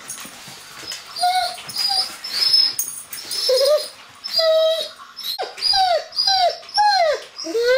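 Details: Sirius, a one-year-old Dobermann, whining in frustration at a closed door as he wants to greet visitors indoors; short tonal whines falling in pitch, repeated roughly every half second to second, some rising squeaky notes between.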